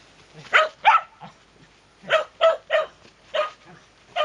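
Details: Shetland Sheepdog named Sora barking: sharp, bright barks in pairs and threes, about three per second with short gaps, loud and clear over a quiet room.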